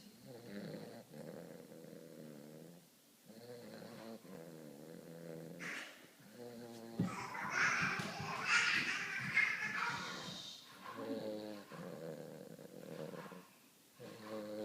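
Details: Cody, a young Weimaraner puppy, snores through a serious nap. Low, buzzy, harmonic breaths come in rough bursts about a second apart. A loud, broad rustling noise covers the middle stretch before the snoring returns.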